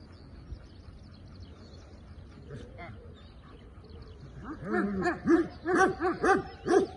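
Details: Belgian Malinois early in executive protection training. Low background murmur gives way to a loud series of about six sharp barks packed into the last two and a half seconds.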